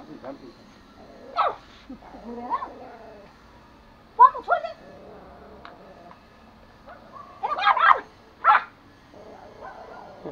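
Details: Pomo, a male toy Pomeranian born April 2017 and kept as a pet in Kathmandu, Nepal, barks angrily while attacking: short, sharp, high yaps come in scattered bursts, with a pair close together near the end, separated by quieter stretches and low background murmur.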